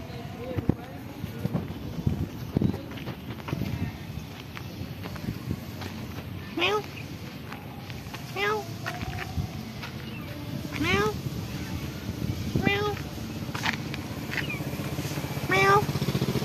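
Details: Timid black cat living at a pagoda, speaking softly to a person it still fears: a series of short, soft harmonic meows spaced a few seconds apart, over steady outdoor background noise.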